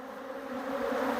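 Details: Western honey bees at a farm apiary hum steadily, swelling slightly louder, during a hive inspection; the bees are very active, crawling over the beekeeper, and the hive front is swarming with them.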